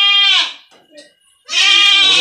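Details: Young goats getting iron shots on a goat farm, given to keep them from becoming stunted. Two loud, nasal, quavering bleats are split by a brief near-silent gap with faint murmuring.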